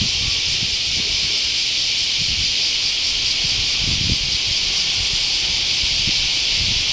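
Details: Cicadas in Japan in August 2019: a continuous, dense, high buzzing hiss that holds steady at the same loudness throughout, with no pauses or pulses, and no other clear sounds.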